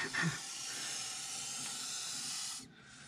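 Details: Montpellier snake (Malpolon monspessulanus) in defensive reaction to threat, giving a continuous airy hiss that holds steady for over two seconds and then cuts off sharply; a brief rustle at the start.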